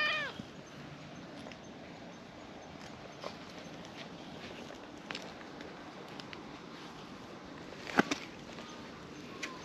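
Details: Stray domestic cats in a park looked after by volunteers, a milk-tea coloured cat playing in high spirits as a black-masked cat approaches; a short harmonic meow opens the clip, with a fainter meow near the end over steady outdoor hiss.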